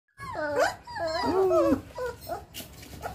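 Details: One-month-old Belgian Malinois cross Siberian Husky puppies give high, wavering whines and yelps, several overlapping, bending up and down in pitch, followed by softer whimpers and some background noise.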